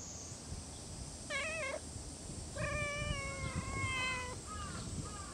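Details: Stray cat meowing outdoors: a short wavering meow, then a long drawn-out meow falling at the end, followed by two brief softer mews, over steady insect-like hiss and background rumble.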